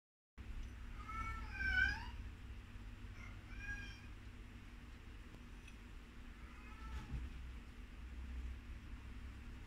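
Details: Baby sugar glider giving a few short squeaky calls with rich overtones: one bright burst near the start, a softer one a couple of seconds later, then a faint final call, over a low steady hum.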